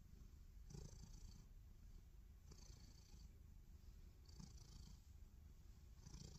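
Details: A black cat, belly exposed, purrs loudly: deep, even rumble with soft breathy swells roughly every one and a half seconds, four pulses heard, nothing else audible.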